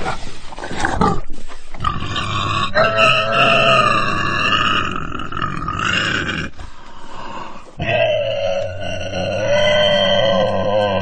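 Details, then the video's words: Crying pig with continuous rasping grunts and strained squeals that rise and waver. The sound is loud and dense, with a brief dip in loudness before a final steady squeal. "돼지 울음 소리가 듣고 싶을 때, Pig cry"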